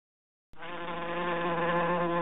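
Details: Fly buzzing as a steady, low, droning hum that starts suddenly and holds without a break, swelling slightly louder toward the end, with a rich buzzy tone and nothing else heard.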